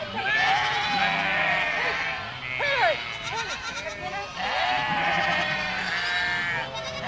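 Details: Village street filled by a walking goat flock: two long stretches of massed, overlapping bleating, separated by a short run of distinct wavering cries.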